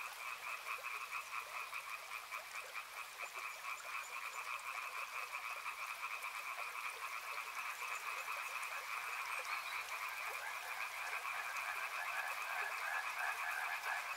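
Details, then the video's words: A thick chorus of frogs by a river, countless rapid croaks merging into a sustained buzzing hum that grows slightly louder toward the end, over faint broadband hiss. "Frog Sounds | Soothing sounds of river and frogs"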